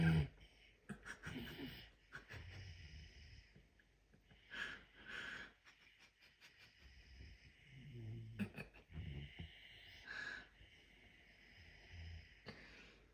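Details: Messi the puma asleep and snoring heartily: a series of low, rough, wheezy breaths, each drawn-out rasp separated by quieter pauses, irregular over about thirteen seconds, with faint room noise between breaths.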